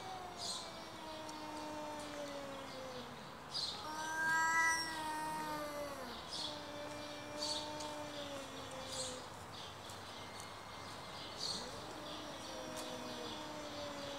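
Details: Two stray cats arguing with each other: long, drawn-out, wavering yowls that slide up and down, with one shriller, louder outburst near the middle, all over steady high chirping in the background.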